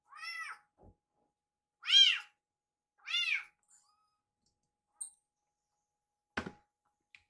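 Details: A rescued kitten gives three loud, high, arching meows around its owner in the kitchen, repeatedly urging her to hurry with preparing its food.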